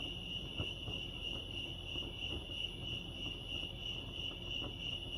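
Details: Crickets chirping at Lake Arrowhead, California: a steady, high-pitched trilling chorus that holds one even pitch throughout, with faint beating in its texture, over a low background rumble and occasional soft ticks.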